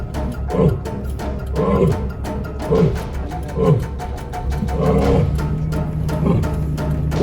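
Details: African lions in a pride at Lion Country Safari, West Palm Beach, Florida give a series of deep, grunting roars, about one per second, under a steady low hum of background music and a man's voice.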